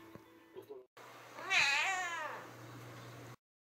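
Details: A male house cat, described as back to normal after a spell and spending an uneventful time at home, gives a single clear meow lasting under a second that rises then falls in pitch, over a steady low hum, with faint brief sounds just before.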